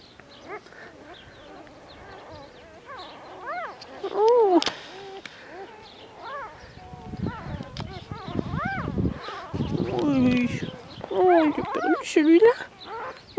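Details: Newborn Border Collie puppies, two days old, one of a litter of seven born 14 February 2019 to the mother Glycine on a French farm, giving high arched squeals and whines in bursts, with a woman talking softly over them.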